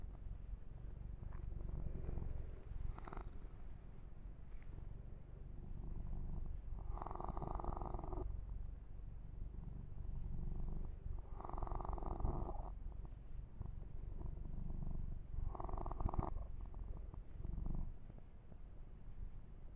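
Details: Pet kitten Yumak, male, purrs through a long massage session; unbroken deep rumble, with scattered light taps and three prominent bursts of fur-stroking rustle in the second half.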